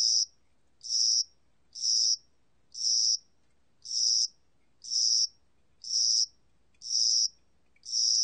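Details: A cricket of the spring and summer season chirps nine times, high-pitched buzzy bursts at a very regular rate of about one per second, with a still background.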